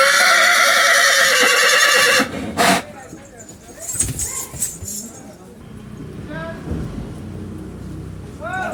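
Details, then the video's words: A playful, excited horse gives a long, loud whinny lasting about two seconds, then a short burst, followed by softer nickers, hoof knocks and short rising squeaky calls amid background chatter. "घोड़ा बाजीराव आया मस्ती में देने लगा आवाज पर आवाज"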